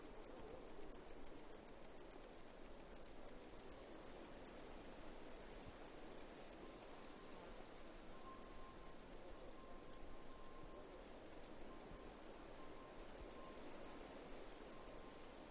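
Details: Cicada chirping as rapid high clicking pulses, dense and regular at first, then thinning into scattered ticks, over a soft background hiss and a faint steady tone.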